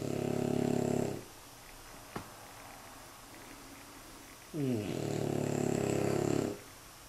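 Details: French Bulldog puppies aged nine months and nine weeks asleep in a basket: a loud throaty snore ending, a brief click, a hush, then a second long rattling snore that swells and stops.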